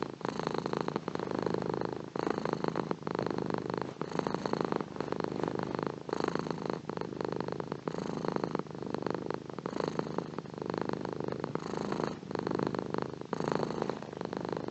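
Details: Long unbroken cat purr, a coarse rapid throbbing that swells and eases with regular breaths roughly every two seconds, constant in loudness throughout, with no other sounds.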